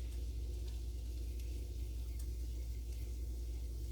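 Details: A continuous low rumble of a passing or idling vehicle fills the recording. No animal calls can be picked out above the traffic noise.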